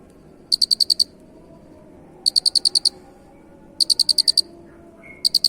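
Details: Unusual cricket chirping, prepared as a training recording: high, clear pulsed chirps of five or six rapid beats, four bursts roughly every one and a half seconds, over a faint low hum.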